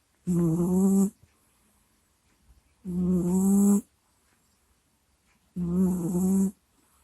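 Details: Sleeping house cat Kusya recorded right at a microphone: three loud, even snores, each under a second of buzzy, throaty groaning, repeated roughly every two and a half seconds with quiet breathing between.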